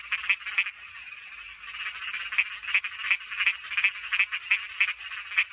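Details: Small frog calls: a run of short, sharp, rasping croaks repeated almost three times a second at an uneven pace, over a softer continuous background chorus of similar callers.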